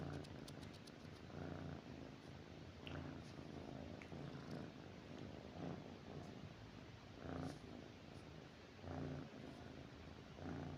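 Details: Pet cat resting beside its owner at night, a continuous low purr swelling in soft regular pulses, with faint rustling of bedding.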